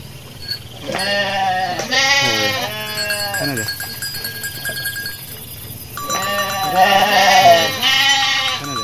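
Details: A Garut sheep ewe that has just given birth while grazing bleats in loud, quavering bursts, several in quick succession, then again after a pause.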